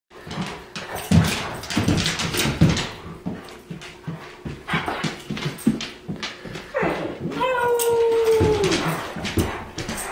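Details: Bull, a rescued New Guinea singing dog indoors in the morning, gives a brief howl in short spurts: a clear tonal note near 500 with harmonics, sliding gently downward over about a second, amid shuffling, tapping and a person's quiet greeting.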